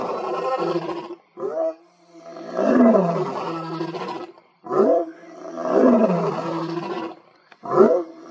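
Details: A male lion roars with great intensity in deep, heaving bursts, each swelling loud then fading, with short gasping breaths between; two other males behind him also roar.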